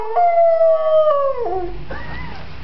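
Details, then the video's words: A singing pointer dog gives one long steady howl that holds level, then slides downward and fades, followed by a brief softer rising whine. "the singing pointer"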